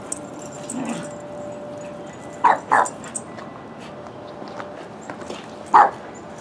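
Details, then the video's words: Buster the puppy at play with Whiskey on Columbus Day 2015; a few sharp yips and short barks, a close pair then a single loud yelp near the end, with soft whines and a faint steady hum behind. "Puppy Playing"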